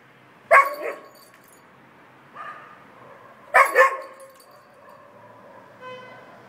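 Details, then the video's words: Irish Setter left alone, crying for its family: a sharp double bark, a softer yelp, then another loud double bark followed by a trailing, wavering whine that fades into a short high cry. "Irish setter cries out : "Where are you all?""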